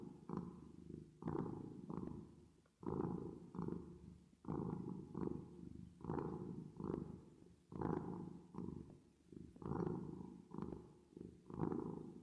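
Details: Domestic cat purring with added reverb: a low, rough rumble pulsing in paired bursts, a stronger and a softer one, each pair recurring about every one and a half seconds, with short quiet gaps between breaths.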